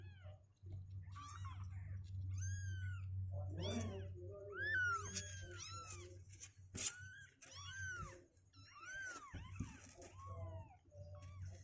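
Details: Kittens aged two weeks, healthy and leggier, trying to leave their box; repeated short high meows from several young cats, some clustered, above a steady low hum and occasional bumps.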